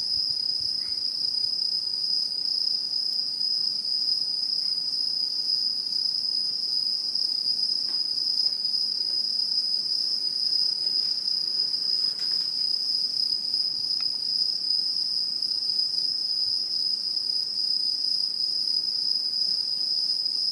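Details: Autumn insects calling in Japanese satoyama, 2016: a long, unwavering high ringing drone fills the whole stretch, joined by sparse faint clicks and chirps, with steady loudness throughout.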